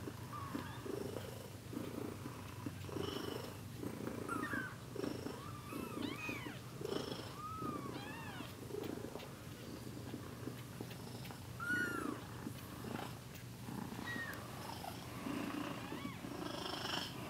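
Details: One-week-old kittens mewing repeatedly: short, high arched cries that rise and fall, clustered in bursts of several in the middle and again near the end, over a continuous low rumble.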